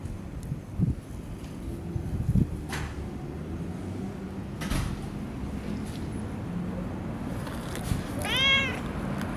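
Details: Long-haired tabby cat from a park colony being stroked; mostly rustling and handling noise, with one distinct meow near the end.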